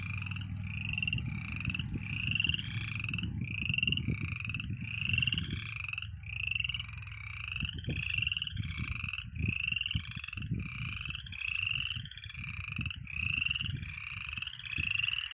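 Frogs call in a steady series of bright, rattling croaks, each one short and pulsed, coming about once a second. A low rumble, like wind or handling noise, sits beneath the calling throughout.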